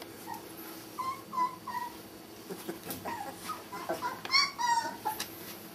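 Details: Five Border Collie puppies born at the Sakura Garden dog run in Okayama City, Japan, whimpering in a series of short, high, thin whines, several rising and falling, repeated irregularly, with soft rustling and handling noises around them.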